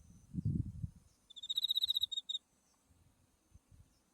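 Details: Autumn insect calling beside a white-flowering buckwheat field with Mount Tsukuba in the distance: one high, pulsed, ringing trill of about a second, a fast series of clicks, after a low rumble of wind or handling noise.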